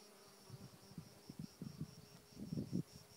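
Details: Bees from nine strong hives newly placed on Mount Kithaironas, foraging on flowering thyme bushes in the morning, 2019, nine to fifteen per bush: low droning buzzes pulse in and out as insects pass close, growing louder near the end.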